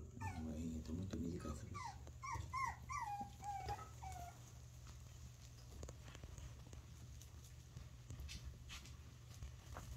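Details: Teacup poodle puppy, lively, eating well and playing, gives a quick run of high, thin whimpers that slide downward, then falls quiet, with faint low hum and soft handling noises behind.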